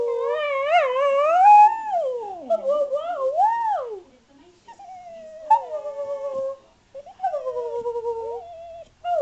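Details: Pet spaniel talking back to its owner: a series of tonal, warbling howl-like whines with wavering, rising and falling pitch, broken by short pauses, followed by softer drawn-out moans and yips.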